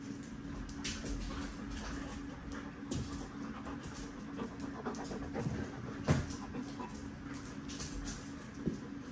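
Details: Dog at the vet panting in uneven breathy bursts, with a steady low hum and faint room noise behind.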